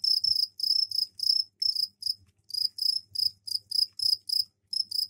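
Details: Crickets in a container fitted with soil for egg laying sing their mating trill indoors: steady, piercing high chirps repeated in short regular bursts, roughly two or three per second, with faint low background hum.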